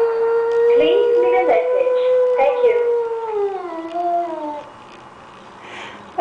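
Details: A Shih Tzu gives a long, wavering howl that slides downward and fades, crying on hearing his owner's voice on the answering machine.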